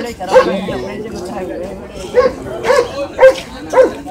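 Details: A Shih Tzu yapping a few times, short sharp barks bunched toward the end, over background talking in a room.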